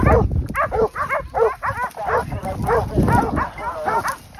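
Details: Several hunting dogs bay at a group of wild boar they hold in place in Pratomagno, province of Arezzo, Italy. Short, sharp barks come in quick bursts, roughly three per second, some higher and yelping.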